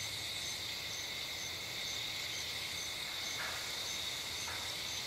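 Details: Insects calling on a summer night along a dirt road by a streetlight, bushes and trees full of sound: a steady high-pitched buzzing drone with faint pulsed chirps layered above, continuous throughout, with low background rumble.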